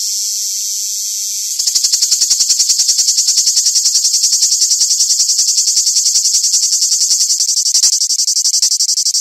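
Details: Cicada singing live: after a steady high hiss, a loud rasping buzz starts at about 1.5 seconds and pulses rapidly and evenly, concentrated high in pitch, with no other sounds.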